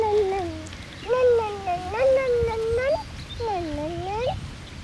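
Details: Six-week-old Lakeland Terrier puppies, a litter born 29 May 2018, with males and a female being held and shown; a puppy gives drawn-out, wavering whines, several in a row with rising and falling bends, under soft talking.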